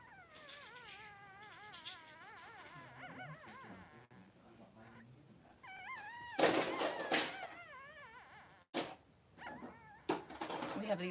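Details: Two newborn Blenheim Cavalier King Charles Spaniel boys, three days old, in their mother Pom-Pom's pen. Strings of wavering, rising-and-falling whines repeat in quick succession, broken by loud rustling bursts and a pause.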